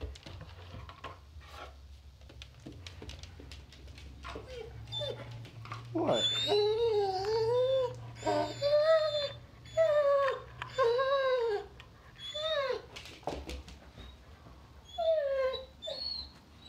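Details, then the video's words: Doberman puppy crying indoors in a small room over a new snack: high, wavering whimpers rising and falling in pitch, repeated in short bursts with brief pauses, over a low steady hum. "Doberman puppy crying with a new snack"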